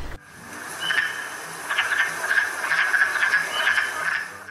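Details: Wood frogs (Lithobates sylvaticus) give hoarse, clucking chuckles in spring, early in the season, at The Ridges Sanctuary, Door County, Wisconsin, overlapping in a busy chorus like laughing clowns or quacking ducks.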